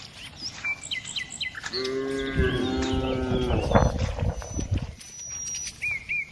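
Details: Village cow in a daily herd of dozens, being walked along; a sustained moo of nearly two seconds over low rumbling and shuffling noise, with birds chirping before and after.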